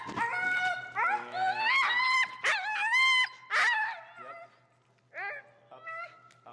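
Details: Finnegan, an extremely vocal feral husky, protests during heel training in Chicago. He disagrees with a behavior being taught. Long, wavering, whining howls glide up and down in bursts, followed by shorter rising yelps after a brief pause.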